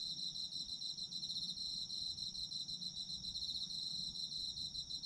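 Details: Autumn insects trilling together in a steady, dense chorus: a high shimmering band with a second, fainter pulsed layer above it, unbroken for five seconds over soft low rumble.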